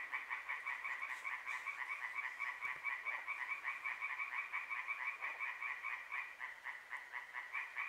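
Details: Frogs croaking at night in Hłomcza, Sanok commune, Poland, from moonrise to moonset, amid other small creatures; a dense, continuous chorus of rapid pulsed croaks, many callers overlapping in a steady rattling throb.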